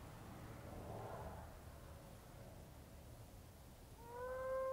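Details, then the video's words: Moaning frog (Heleioporus eyrei) from South West Western Australia, calling from underground in a garden bed at breeding time as the wet season starts; a soft diffuse murmur, then one clear owl-like tonal moan that slides slightly upward over steady background hiss. "Moaning Frogs - Heleioporus eyrei"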